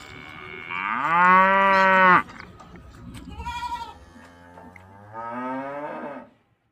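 A cow lets out a drawn-out, rich moo that swells upward and holds before cutting off. After a short pause with a brief, nasal bleat-like sound, a quieter, rising moo follows.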